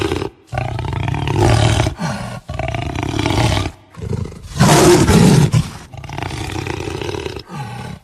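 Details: Deep jaguar growls and roars repeated roughly every second, coarse and grating with strong low rumble, one louder, brighter roar in the middle of the series.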